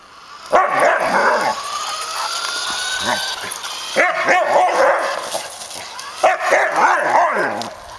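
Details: Samoyed dog at play chasing a remote-controlled car, letting out three bursts of excited, wavering yelps and barks, each lasting about a second, with softer noise between.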